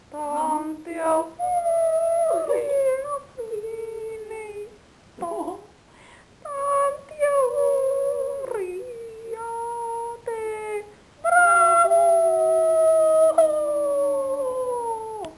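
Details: Scottish Terrier named Wesley howling indoors on his birthday, long sustained tones that slide up and down in pitch, broken into several drawn-out phrases with short pauses between them.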